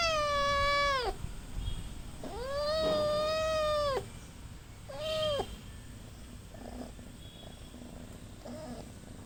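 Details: Little kitten gives three loud meows, the middle one drawn out and level, the last short, then soft faint sounds in a quiet room.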